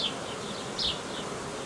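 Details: Swarm of honey bees cared for by a hobby beekeeper, Romania, 18 May 2018; continuous droning hum with a short louder whine partway through.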